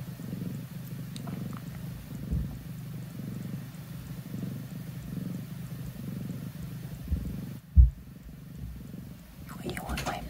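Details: Female grey tabby foster cat emerging from a cat tower for the first time with a human present; a continuous deep purr rumbles with a soft breathing rhythm, broken by a thump and ending with rustling and a faint voice.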